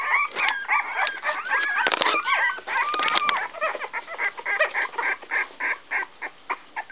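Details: Litter of 16-day-old Whoodle puppies (Whippet x Miniature Poodle) making high squealing whines and curving squeaks, then a run of short, evenly repeated yelps toward the end.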